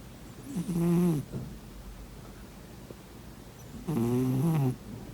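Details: Sleeping pet cat snoring indoors: two rough, buzzy snores about three seconds apart, each lasting under a second with a low droning tone that wavers up and down, and a quiet pause between them.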